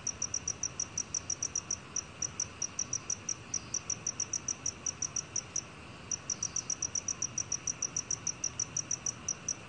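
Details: Steady high-pitched chirping of a black cricket: bright, evenly spaced pulses, several per second, with brief breaks near two and six seconds before the quick rhythm picks up again, faint background hiss.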